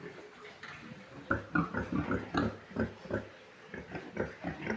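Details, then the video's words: Large White pigs on a farm, a rapid run of short grunts about two or three per second, some overlapping as several animals call together, with faint voices in the background. "large white pigs"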